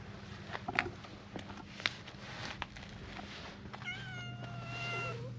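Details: Stray cat among a gathering crowd of strays: scattered clicks and light footsteps, then one long, steady, fairly level meow that drags on for over a second, ending with a slight upturn.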